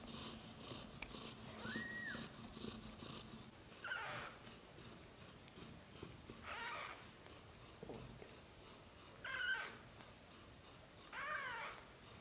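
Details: British shorthair kittens in their first 30 days, litter of four born to black golden parents Samel and Leo, give about five short harmonic mews spaced two to three seconds apart over a low indoor murmur.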